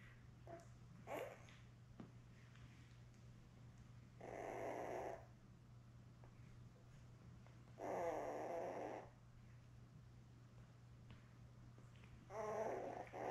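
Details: Labrador Retriever litter of seven newborn puppies with their mother Belle, born May 24, 2021, on an indoor puppy cam on June 4: three rough, grunting squeals of about a second each, spaced several seconds apart, with faint clicks and a low hum.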